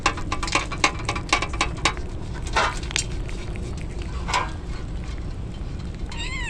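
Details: Stray kittens, drenched in the rain as a typhoon approaches, crying out: one short wavering meow with rich stacked harmonics near the end, over a steady patter of heavy rain and sharp clattering drops.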